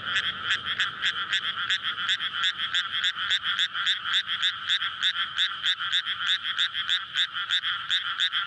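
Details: Frog chorus of courtship calls from a rice paddy flooded before May planting, recorded at night; a bright, dense run of quick croaks, nearly four per second, overlapping voices with little background noise.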